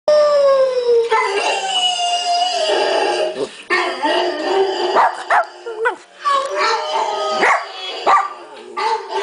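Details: Pet dog howling along at home while another dog's howling plays from a screen; one long, smooth, slowly falling howl opens, followed by broken, wavering vocal sounds mixed with speech and played-back audio.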